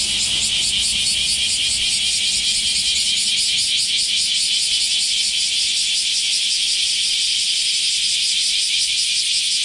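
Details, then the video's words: Cicadas in Japan in summer, after the rainy season: a shrill, rasping chorus throbbing in quick regular pulses, about two or three per second, holding steady throughout. "sound of summer in japan semi insects"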